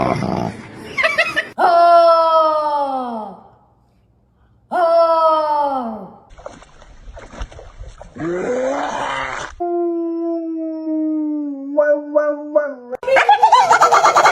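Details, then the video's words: Pet dog indoors making a strange, voice-like sound: two drawn-out whines, each sliding downward over about a second and a half, then a long steady held tone and a few short rising yips, with human voices between. "The strange sound of a dog"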